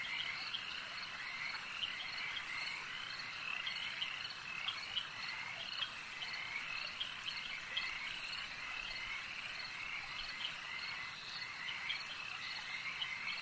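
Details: At a lake, frogs keep up a softer, continuous chorus of rasping trills, with scattered sharper clicks and a faint insect-like buzz mixed into the background.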